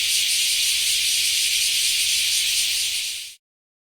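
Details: Bear cicada (kumazemi), a Japanese summer cicada: a loud, harsh, continuous hissing buzz held evenly for over three seconds and then stopping abruptly.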